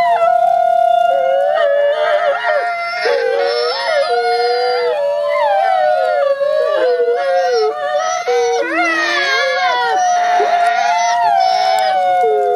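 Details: Gray wolf siblings, two captive ambassador wolves, howl in unison: long sustained pure tones with one voice holding steady while the other dips, wavers and swoops, the pair blending into a continuous layered chorus.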